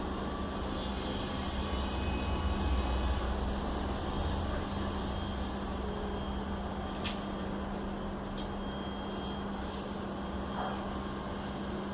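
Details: Steady engine or traffic rumble with a constant low hum throughout, and no animal sounds heard.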